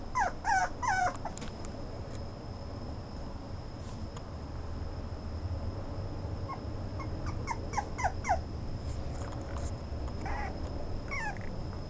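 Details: Toy Poodle whimpering: short high whiny yelps in a quick cluster at the start, another burst near the eighth second, a last one at the end, over low room rumble and a steady high electronic tone.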